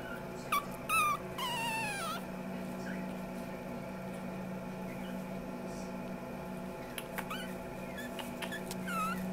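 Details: Female chocolate-fawn Ami Baby puppy indoors gives a few high, wavering whimpers and squeaks in the first two seconds, then falls quiet over a steady low electrical hum, with one or two faint whines near the end.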